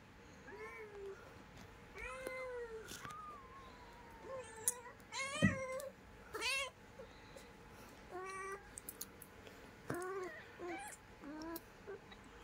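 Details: Domestic cat, a mother with her kitten, indoors: a run of about eight clear meows over twelve seconds, each arching up then down, some short and high, others longer and drawn out, with brief quiet gaps between.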